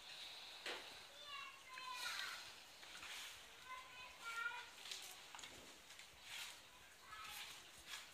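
Italian greyhound puppies give thin, high squeaks and whines in short bursts.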